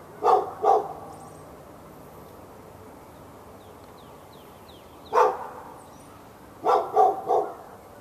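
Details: Fenced dog in Raleigh, North Carolina, barking nonstop at a neighbouring dog on February 15, 2012; two quick barks, a long pause, then one bark and a rapid triple burst, with faint bird chirps in between.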